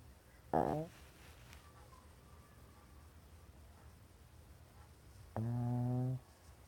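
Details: Small female dog asleep under a work table, in full REM sleep indoors; two low, buzzy snoring breaths, a short one early and a longer droning one near the end, with quiet room hum between.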